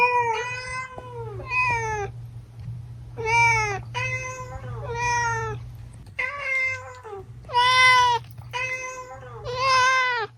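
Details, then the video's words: Series of about nine clear cat meows meant to attract cats, grouped in pairs and triplets, each bright and slightly falling in pitch, with a low constant hum behind them. "Meows to ATTRACT Cats (Meow Sounds to Attract Cats). Cats Meowing Sound Effects. Kitten Sounds"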